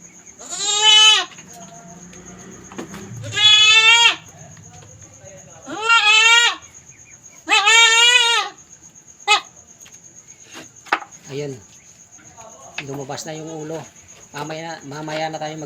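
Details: Kept female goat in her pen during her first birth, the kid's head already out; four drawn-out quavering bleats spaced about two seconds apart, then shorter softer cries mixed with people talking and a steady high tone.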